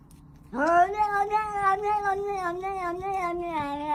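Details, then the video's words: Cat producing a funny noise during a meal: after a quiet start, a long continuous yowling cry rises sharply, then wobbles up and down in pitch for over three seconds without pause. "cat making funny noise when eating"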